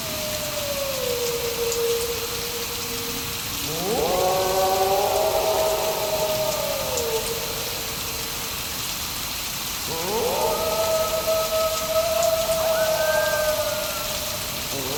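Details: Wolves howling during thunder and rain: long, sustained, slightly wavering howls, several voices overlapping in a layered chorus that swells near four seconds and again near ten, over a steady hiss of falling rain.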